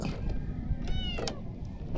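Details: Stray kitten, hungry and being offered fresh-caught fish, lets out a single brief bright meow midway, among sharp tapping clicks and low outdoor background noise.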